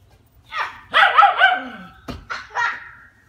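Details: Eight-week-old female German Shepherd puppy, Leia, playing with her ball outside at her new home; a short high yelp, then a longer wavering bark-whine, followed by two quick sharp yips, otherwise quiet.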